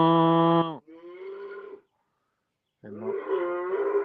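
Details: Cows mooing loudly outdoors; a deep, strong moo breaks into a shorter wavering bellow, then after a second of silence another rough, loud moo rises and holds.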